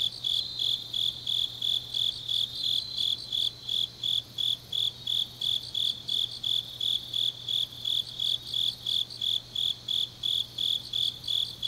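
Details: Grass insects on a deep autumn night in Changnyeong, South Gyeongsang, South Korea; a steady high chirping pulses about three times a second, several callers overlapping in a dense continuous chorus, with a faint low hum underneath.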